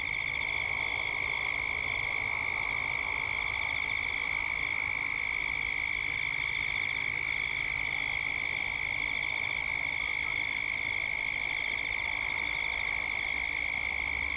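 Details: Chorus of cicadas at dusk, Gippsland, Australia, as the sound grows toward nightfall: an unbroken high-pitched drone with a fast, even shimmer, plus faint ticking clicks high above.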